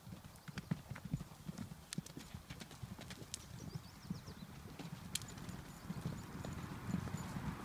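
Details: Horses making a break for the pasture, their hooves drumming in quick, uneven thuds on the ground, with a few sharp higher clicks scattered through and a soft outdoor hiss behind.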